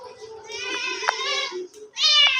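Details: Pet cat indoors gives a long, drawn-out nasal meow lasting over a second, then a brief pause and a second, brighter and higher-pitched meow; quiet room with little else audible.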